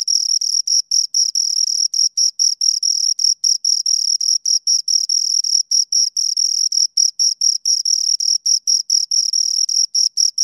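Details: Pair of crickets heard at close range: continuous shrill pulsed chirping, high and thin, bursts separated by tiny silent breaks several times a second, nothing else audible.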